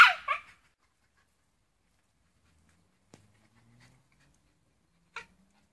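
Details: A Shiba Inu that wants to get hold of a net gives two quick, sharp yelping barks, then falls quiet apart from faint clicks.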